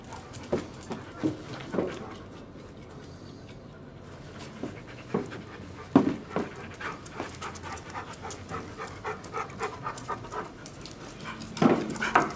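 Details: Big family dogs, including one-year-old Siberian Husky Nami and seven-year-old Duke and Duchess. Rapid rasping pants run almost throughout in a steady stream of breathy pulses, with a brief lull near the middle and louder gusts at the end.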